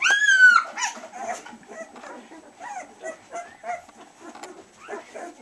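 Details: Collie puppies at two weeks old, newly open-eyed and toddling: one long, loud, high whine at the start, then a string of quieter chirping whimpers and squeaks from the litter at an uneven pace.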